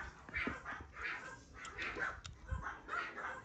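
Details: Pomeranian puppies at a breeding kennel, young vaccinated pups being chosen by buyers; quick high-pitched yips and small barks come in rapid bursts roughly every half second, with muffled human voices in the background.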